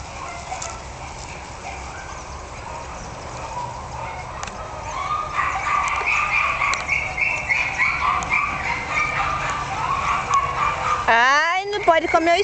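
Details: A litter of Jack Russell Terrier puppies, one month old, born 27 October 2010 to Yeti Romany Storm and Romany Rio. A wavering, overlapping chorus of whimpers builds steadily, then a sharp rising yelp rings out near the end.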